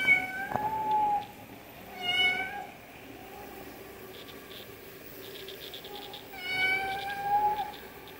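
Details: Cat meowing for food, giving three clear, level meows spaced across the recording, the last one longer and wavering, with quiet room noise in the pauses.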